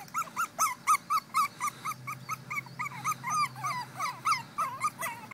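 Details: Two female Pekingese puppies whine steadily, a string of bent, high whimpers coming about four per second with little pause, some breaking into sharper squeals midway, over a low room hum.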